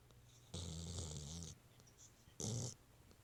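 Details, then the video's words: Pet dog snoring at night: one long, rasping, buzzy snore lasting about a second, then a shorter, sharper snort, over a faint low hum. "Dog Snoring"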